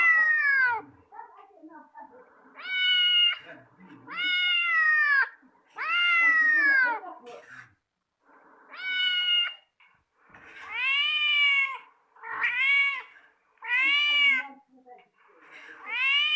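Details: Domestic cat reacting to another cat's voice indoors: a series of about nine loud, drawn-out meows, each arching up then falling, separated by short pauses, with faint background voices.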